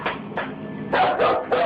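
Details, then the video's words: Full-grown dog barking nervously indoors, keeping a wide distance and refusing to cross a line while backing toward the door; five short harsh barks in quick bursts, the last three louder and closer together. "Listen, when your full-grown dog is barking nervously and actually backing towards the door to get away, it's time to get the heck out of that room yourself."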